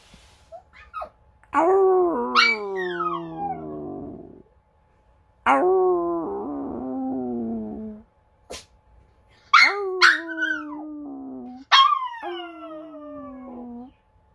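A small Maltese dog howls in four bouts, each a thin, high-pitched wail that starts sharply and sags downward. Some notes waver or break into yips and whimpers before fading, with brief quiet gaps between.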